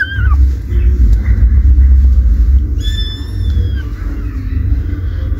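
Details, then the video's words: Kittens playing with their mother cat: a deep, steady rumble dominates throughout, with a short high squeak at the start and a thin, high-pitched kitten meow partway through. "Kittens Playing And Meowing With Mother"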